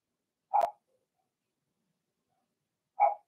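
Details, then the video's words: Two short barks from Cavalier King Charles Spaniel puppies of a Blenheim litter in an indoor puppy pen, a sharp click accompanying the first, separated by silence. "Cavalier Puppies Bark, Howl, and POOP"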